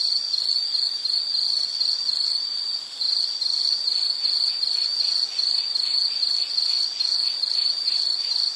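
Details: Insect calling for a background study and sleep soundscape: shrill high pulsed trill, briefly softer and smoother near the three-second mark, then resuming its rapid beat.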